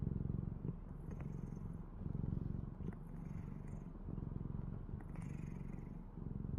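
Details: A pet cat named Kkadong-i snores in a steady low buzzing rumble that swells and eases with each slow breath, roughly every second and a half, with a few soft scrapes.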